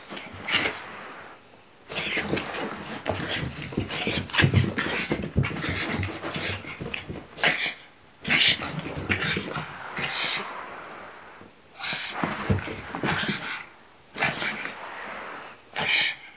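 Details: Indoor pug scared of a pillow, producing bursts of harsh snuffling and panting huffs, each run lasting a few seconds, broken by short quiet gaps, with sharper snorts late on.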